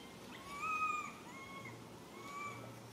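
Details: Lily, a little monkey, calls for its mother with plaintive tonal cries, two longer level wails followed by a shorter one, each clean and whistle-like with a ringing overtone above, over a quiet low hum.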